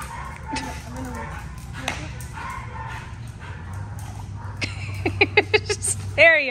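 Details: Boxer/Pitbull mix dog reunited with her owner, giving a series of short high yips and a rising, wavering whine near the end, after a woman's voice and a low steady hum.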